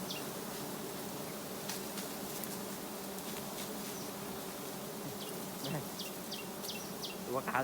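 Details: Giant honey bees at a low-hanging nest beside a road while the colony is being harvested. A steady low buzzing hum runs throughout, with scattered sharp clicks and faint human voices.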